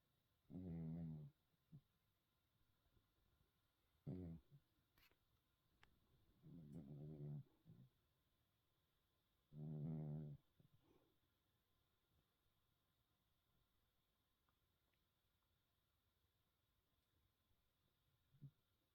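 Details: Hermann, a cat asleep and dreaming, snores in low buzzy rattles about every three seconds at first, four breaths in all, then falls quiet for the rest of the stretch.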